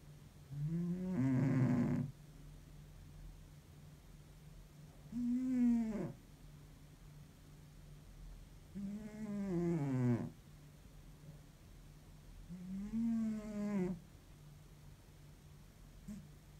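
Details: Worn-out house cat snoring in deep sleep, likened to an old man: four low, groaning snores roughly every four seconds, each bending downward in pitch with a wheezy tail, over faint steady hum.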